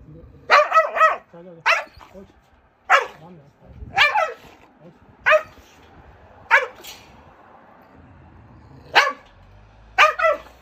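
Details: Aggressive abandoned Jindo that bit the shelter director who fed it for three years, recorded during a rescue-transport volunteer visit at Narae-ul center in Ulsan, South Korea. It gives sharp, loud barks, some doubled, in about eight irregular bursts, with faint voices between.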